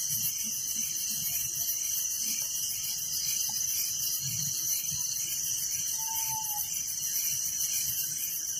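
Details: Crickets chirping through the night in a village: a thick, high, shimmering pulse that never stops, and a single short level whistle breaking in past the middle.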